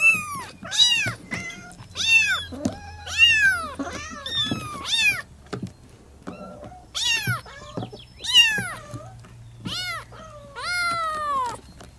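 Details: Three Persian kittens meow insistently, each call thin, high and piercing, arching up then sliding down. The cries come in quick bursts with short pauses as the young cats call for their mother.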